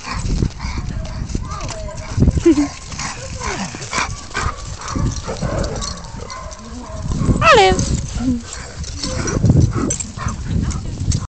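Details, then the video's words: Several Siberian Huskies at play, five dogs in all, giving short whining yips and a rising howl-like call among scuffling, thumping and heavy low rumbling noise, with people talking in the background. "Husky Playtime"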